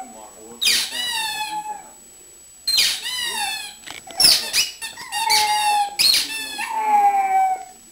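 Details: Pet pug howling indoors because she wants her toy, a series of high, falling, squeaky whining howls about a second long with short gaps between them.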